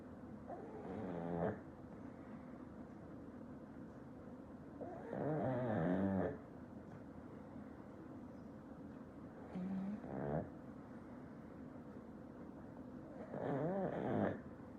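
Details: A black pug snoring loudly while asleep: four rasping, wavering snores with buzzy layered tones, each about a second long and spaced roughly four seconds apart, over a quiet indoor background.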